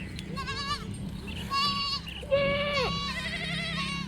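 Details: Goats on a farm bleating, several overlapping wavering calls, some rising then falling, over a steady low hum.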